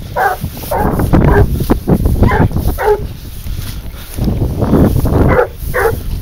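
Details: Hunting dog, 22 months old, baying while tracking wild boar on a leash hunt in the field; short repeated barks in bursts, about eight over six seconds, over low rumbling wind and handling noise.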